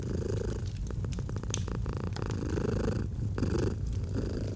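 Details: Deep, even purring from a domestic cat, with a dense burst of fireplace crackles near the start and lighter pops later over the rumble.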